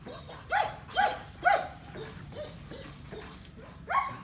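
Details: Huge female German Shepherd giving three strong barks in quick succession, then a few softer, muffled woofs, and one last loud bark, over a faint low background hum.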